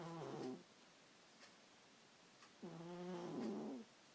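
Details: Sleeping pet cat snoring at bedtime: two harmonic, whistling breaths about two seconds apart, the second longer and slightly wavering, with near silence between them indoors.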